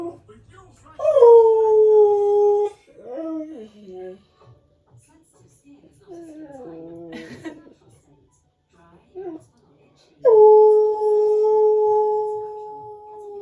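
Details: Domestic husky producing its unusual everyday vocal repertoire indoors: a long, loud, steady howl, then shorter wavering, yodel-like woo sounds sliding up and down, and finally another prolonged, level howl.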